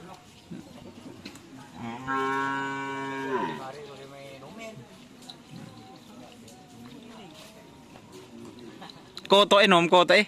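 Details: Karapan Sapi racing cattle, white animals from Sapudi Island: a single sustained, deep moo holding level for nearly two seconds, then tailing off. Murmured talk follows, and a burst of loud voices comes near the end.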